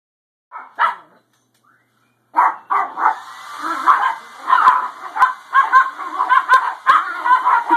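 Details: Dogs reacting to a hair dryer: after two short yelps and a pause, agitated barking and yipping start up over a steady mechanical whine, coming in rapid irregular bursts.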